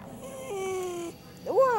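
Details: Dog crying: a thin, steady, high whine held for about half a second, then a brief rising-and-falling squeal.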